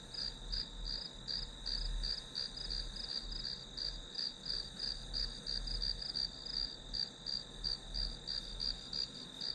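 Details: Insects in grass call on and on, short bright chirps pulsing roughly three per second above a continuous high ringing tone, with a faint low rumble underneath.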